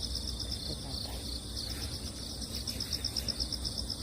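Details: Crickets heard after a typhoon over moist earth where cats wander; a high, rapid, pulsed chirping repeats in quick bursts of beads, loudest in the second half, over soft low outdoor noise.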